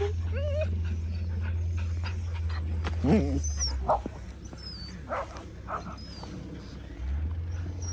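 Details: From a Czech kennel of Border Collies come a brief high whine, then scattered sharp yips and short whimpers with long quiet gaps, a low hum starting and stopping behind them and Czech speech nearby.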